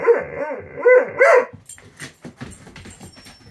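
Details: Impatient for breakfast, female Doberman Poupoune lets out a quick run of four yelping, whiny barks in about one and a half seconds, followed by softer scuffling sounds.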